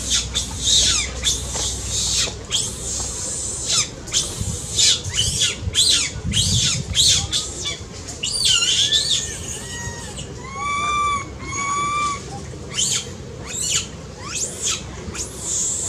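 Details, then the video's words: Baby monkey crying loudly, said to be having a seizure and needing its angry mother's care. Shrill, high squeals and screeches repeat throughout, then a run of clear tonal cries that rise and fall, over a steady low background rumble. "Baby monkey cries loudly"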